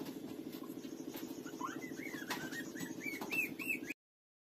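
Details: Street puppy Lulu suckling from its mother, giving thin arched squeaks that start after a quiet stretch and come in quick, uneven succession, with a constant low pulsing hum and some soft rustling underneath.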